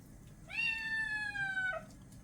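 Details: Orange-and-white creamsicle kitten during a bath lets out a single loud, drawn-out, tonal meow lasting just over a second, level then gently falling, amid quiet room noise and a woman talking before and after.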